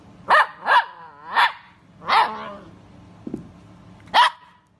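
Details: Miniature dachshund puppy barking: five high, sharp barks with a short whining edge, spaced irregularly across a few seconds, plus one softer yelp, in a quiet room.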